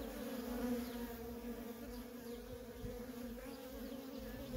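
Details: Worker honey bees in nonstop traffic at a feral colony, a steady droning hum with a low buzzing tone and its higher overtone, faint short chirps above.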